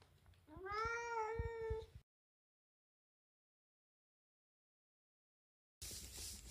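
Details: Pet cat scolding its owner for pestering it about food: a single loud, sustained, slightly wavering meow lasting about a second, then silence, then a burst of rough noise.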